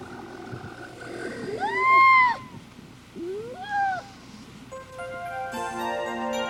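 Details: A harp seal pup, about 10 days old, on spring pack ice off Canada's coast gives two wailing, arched cries that rise then fall, followed by music.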